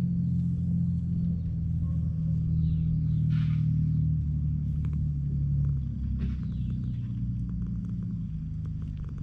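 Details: Affectionate stray cat on a cat island, purring up close: a deep, steady rumbling purr runs throughout, low and continuous with fine pulsing, interrupted by brief scratchy rustles of handling or movement.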